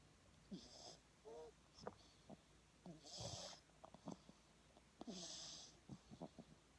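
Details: Sleeping French Bulldog puppy snoring and snorting in repeated breathy bursts about every two seconds, mixed with short wheezy squeaks and clicks; a person speaks briefly.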